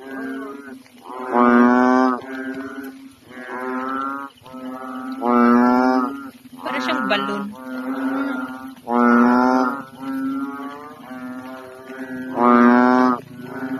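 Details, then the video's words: Several unusually big, fully inflated frogs croak loudly together in a pond at night in the Philippines, deep lowing calls that rise and fall about every second or two. "Big floating inflated frogs croaking in pond"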